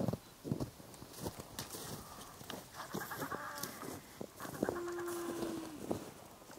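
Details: A Weddell seal pup playing and wiggling on the sea ice near Honkala Island, Casey station, Antarctica, on 17 November 2019 gives a drawn-out, steady, bleating moan over wind noise and people talking.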